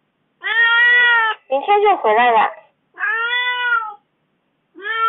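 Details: Kitten meowing in an aggrieved, complaining way after being left alone at home for four days: four drawn-out, tonal meows, the second wavering and broken, plus a short rising start of a fifth, indoors with no other clear sounds.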